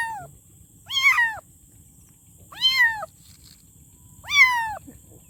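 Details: Kitten meowing loudly, three drawn-out harmonic meows about every 1.7 seconds, each rising then falling in pitch, plus a fainter trailing meow at the start and a steady high hiss in the background.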